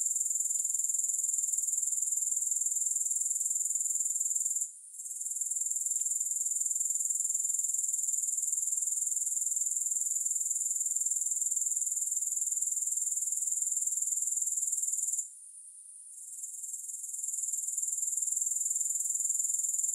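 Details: A steady wall of high-pitched grasshopper trilling without music, fast and even, broken by two short quiet gaps, one near five seconds and a longer one near fifteen, after which the chorus gradually returns.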